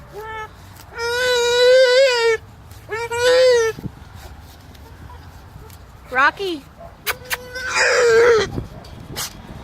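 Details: A male English Bulldog cries in long, nasal, wavering whines, frustrated at being kept on his side of a fence from the greyhounds he wants to play with.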